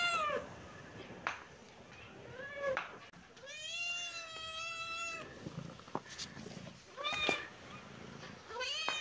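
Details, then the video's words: Baby kitten and cat playing in a happy mood, meowing: several rising-falling harmonic meows, one long drawn-out meow near the middle, shorter high meows before and after, indoors with faint clicks and rustling. "Baby kitten and cat playing 😺❤️-happy mood-kitten and cat meowing"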